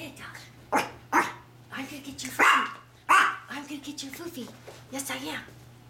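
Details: Female Maltese puppy playing with her treats indoors before eating them; several short, sharp barks burst out about every half second to second, mixed with a person talking to her in a playful voice and a steady low hum.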